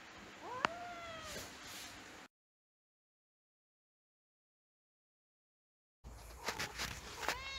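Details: Kitten kept in a house, giving a short rising-and-falling meow, then after a gap more high cries mixed with clicks and brief knocks.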